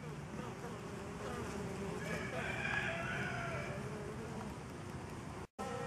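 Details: Honey bees busy at a DIY pollen substitute in a season without wild pollen; broad continuous buzzing from many wings, a faint rising crow-like call in the background midway, and a sudden cut-out just before the end.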